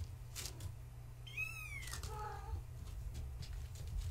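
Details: Kittens of Gaia, a floofy tabby mother, at bedtime play, born March 14, 2017, indoors. One high kitten meow bends downward, then a shorter, lower mew follows after it, over a steady low hum.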